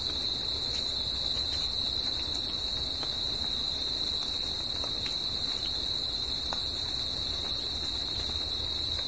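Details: Crickets singing in nature at night, a dense, unbroken high-pitched trill that holds steady with no pauses, over a soft low background hiss.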